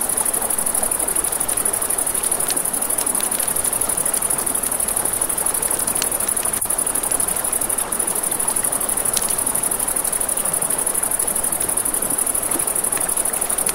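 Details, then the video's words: A nighttime riverside chorus of crickets, a continuous high-pitched pulsing trill. Sharp pops and crackles from a campfire break through now and then over a steady hiss of running river water. "Crackling Fire, Crickets"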